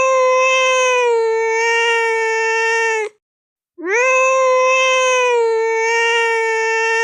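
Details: Angry cat sound, two long steady yowls, each about three seconds, holding an even, rich, harmonic tone with a brief silent gap between them; no other sounds.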